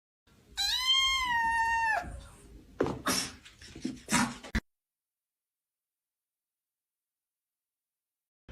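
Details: Kitten meowing: one clear, tonal meow of about one and a half seconds, rising slightly then falling, followed by clattering and rustling noises, then silence.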